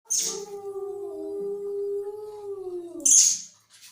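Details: Angry cat giving one long, steady, moaning yowl that dips slightly at its end, followed by a short hissing burst.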